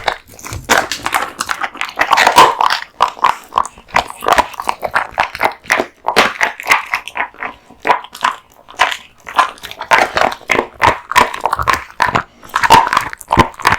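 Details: Male American Bully named Kotetsu devouring raw meat and bones in a small room; dense, steady crunching and gnawing, sharp bone-cracking snaps every half second or so, no other sounds.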